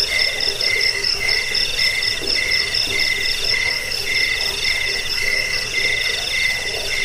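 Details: Jangkik, a cricket, in a recording meant to drive off rats, aid sleep and tutor songbirds. Steady bursts of high trilled pulses come at two pitches, the higher row nearly continuous, over soft background noise.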